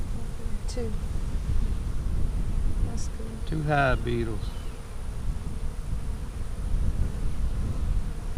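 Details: Honey bee hive, split on March 4 with the queen moved to a five-frame nuc, inspected April 15, 2017: a steady low hum, with a brief burst of rapid chattering notes around four seconds.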